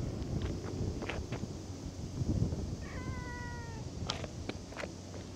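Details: A single drawn-out cat meow, level and then gently falling, set among scattered clicks and knocks over a constant low background hum.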